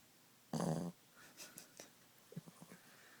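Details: Ziggie, a Boston Terrier, at nap time indoors: one short, rough, buzzy snore lasting under half a second, then quiet with a few faint breathy clicks and snuffles.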